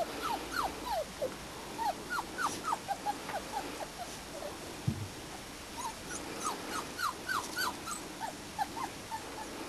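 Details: Springer Spaniel puppies of the Y-litter, about four and a half weeks old, outdoors for the first time, giving many short high whimpering squeaks and yelps, overlapping and repeated in rapid irregular bursts over quiet background noise.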